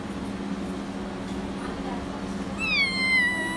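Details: A single drawn-out meow from Persian kittens arrives near the end, high and clear with a slowly falling pitch, after quiet seconds of low, constant humming in the background.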